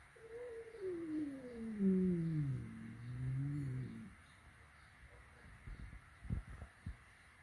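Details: Flat-nosed cat on its first meeting with a peak-nosed cat, playing together at home; a drawn-out, falling, moaning yowl lasting about four seconds, sliding from mid to low pitch, followed by quiet soft knocks and rustles.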